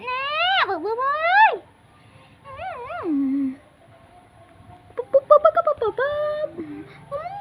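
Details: Pet cat playing with a young girl at home, giving long drawn-out meows that rise and then slide down, two clear calls followed by shorter wavering ones, with people talking in Khmer and laughing.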